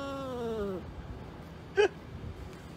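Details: Cat making a weird noise: a short, drawn-out harmonic cry that slides gently downward for under a second, followed after a pause by one brief clipped chirp against a low background hum.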